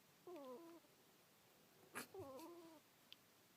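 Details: Two thin, whistled snores from Kuuta, a pet ferret asleep indoors. Each is a short harmonic squeak that steps downward, separated by a sharp click and a small knock.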